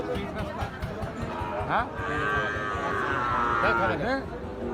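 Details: Gir or Sahiwal bull calves at the busy Ambari cattle haat. A drawn-out, steady, tonal moo runs for about two seconds amid loud trader chatter, price calls and background music.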